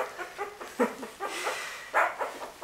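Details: Puppies from Winny's litter giving short, high, harmonic yelps in scattered bursts, with a louder squeal near the middle and another near the end, over a quiet indoor background.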